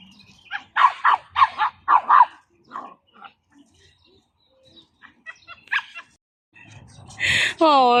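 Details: Pomeranian barking: a quick run of about five sharp, high barks in the first two seconds, then scattered softer yips, ending with a long tonal whine-like sound; voices are heard in the background.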